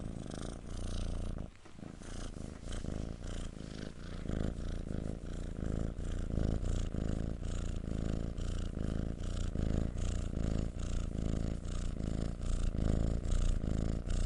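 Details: Domestic cat purring close up, a loud, steady low rumble that rises and falls with each breath about every half second, continuing without pause.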